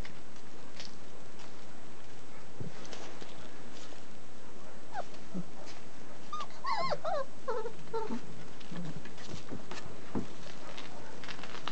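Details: German Shepherd puppies, 29 days old, from a litter raised in a family setting, give a short cluster of high, wavering whimpers and yelps, with scattered faint noises before and after.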